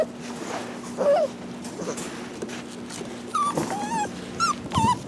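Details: Rescue puppies of uncertain mix, perhaps shar pei, hound or lab, give a soft whine, then a run of sharper, wavering whimpers and yelps in the second half, with a constant low hum beneath.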